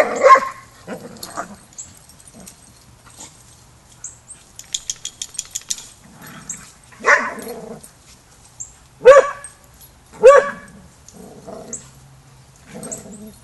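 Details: Dogs at a Border Collie boot camp during young pup Rammstein's first lesson with the pack; an opening bark, a burst of rapid clicking, then a run of barks spaced one to two seconds apart.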